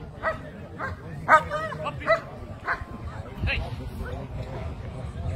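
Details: German Shepherd at a dog show, barking amid a judge's spoken commentary in Croatian; several short barks at roughly half-second to one-second intervals early on, with crowd murmur and speech throughout.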